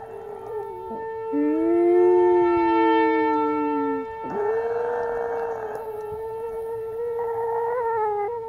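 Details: Old female Chihuahua howls at a passing siren for the first time, in long, wavering tones that rise and fall against the steady siren.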